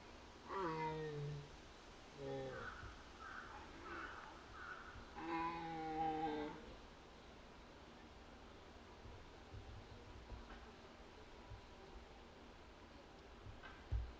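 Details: Jaguar named Yuuki at Higashiyama Zoo and Botanical Gardens, Nagoya, filmed 21 October 2025, murmuring for a while after its keeper left for other work, perhaps searching; a few short harmonic moaning calls in the first seven seconds, then quiet indoor hum.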